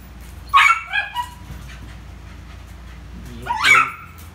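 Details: Poodle named Rio at play with a ball gives two short, shrill yips about three seconds apart, each with a brief trailing yelp, over faint background hum.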